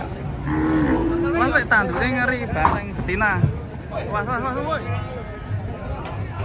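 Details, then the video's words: Agitated bulls unloaded from a truck give a short low moo early on, soon buried under excited human shouting and a running vehicle engine. "BANTENG NGAMUK TURUN TRUK"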